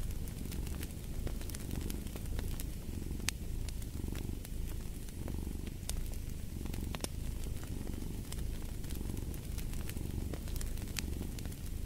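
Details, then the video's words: Steady purring of a cat, a warm, low vibration pulsing with each breath about once a second. A cozy fireplace adds irregular crackles and sharp pops over the rumble. "Fall asleep to the Purring of a Cat"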